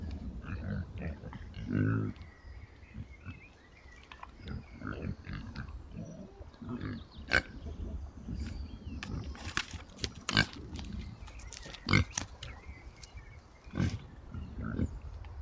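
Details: Woodland trail camera recording of a sounder of Oxford Sandy and Black pigs foraging: scattered low grunts, one louder grunt near two seconds, and sharp clicks and snaps of rustling vegetation.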